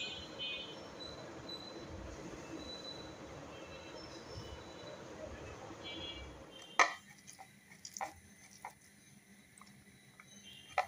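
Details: Indoor room noise with a brief voice, then sharp clicks and knocks, with no animal sounds.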